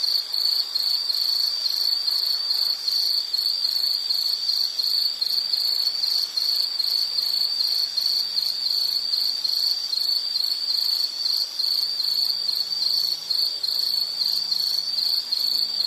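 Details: Steady high-pitched insect chirping, fast regular pulses continuing throughout, with a few faint low hums in the background, used as calming nature sound.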